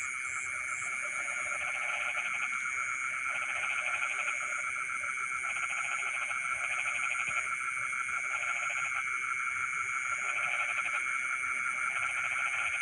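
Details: Frogs singing in rice fields in the middle of the night: bouts of rapid pulsed croaking rise and fade roughly every two seconds, layered over a constant high, shrill insect drone and a fainter whining band above it.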